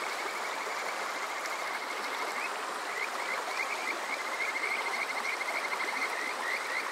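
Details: Summer-night Kajika frog at Water Park Shirayama, Yokoze, Chichibu, Saitama, Japan, captured on a TASCAM DR-05X; after a quiet start, a fast chattering string of brief whistled notes builds over steady flowing-water noise.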